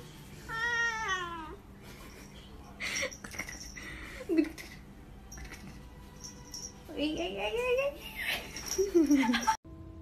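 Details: Domestic cat meowing in a pet clip: a high, wavering meow near the start, a short falling mew midway, then a run of drawn-out descending meows near the end, amid human voices, clattering and faint music.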